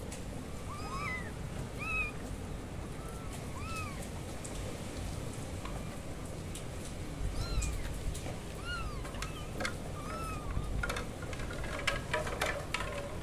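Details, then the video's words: Loud kitten meows: a string of short, bright, arching mews spaced a second or two apart, sometimes two voices close together, against a constant low background hiss with a few faint clicks near the end. "Kittens meowing loudly"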